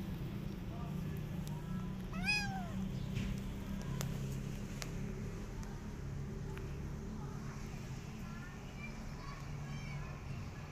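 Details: Rescued mother cat with her kittens, now fed and kept warm; one clear rising-falling meow near the middle with faint thin meows later, over a steady low hum and background murmur.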